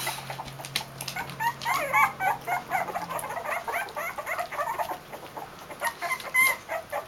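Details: Litter of two-week-old Basenji puppies, bred in a kennel, recorded in January 2015: a chorus of thin, high squeaks and whimpers overlapping rapidly, several pups at once, with rustling and shuffling throughout.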